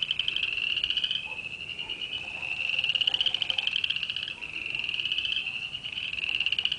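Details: A dense chorus of frogs in mid February, heard as a spring sound, makes a continuous high, pulsing trill that rises and falls in intensity.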